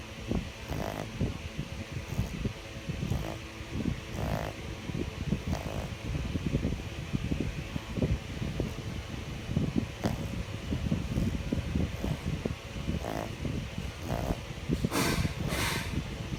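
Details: A sleeping dog snoring: low, rough breathy snorts repeating roughly once a second over a steady background hum, with a few sharper bursts near the end.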